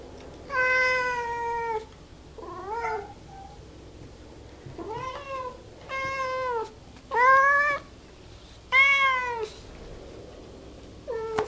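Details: A domestic cat meows repeatedly: about seven clear, drawn-out mews, some level and some wavering up and down, each lasting roughly one second and separated by short pauses.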